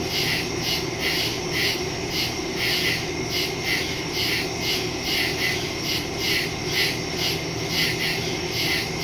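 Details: Crickets in the woods at night, recorded September 2, 2023 on a phone with a stereo microphone; dense high insect chorus pulsing in steady beats about every third of a second, with a continuous ringing hiss above.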